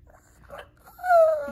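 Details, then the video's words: Female Shih Tzu talking for her treats: a short low murmur, then a loud drawn-out whine that holds steady and slowly slides downward near the end, indoors. "Lacey dog talks a lot when it comes to treats!"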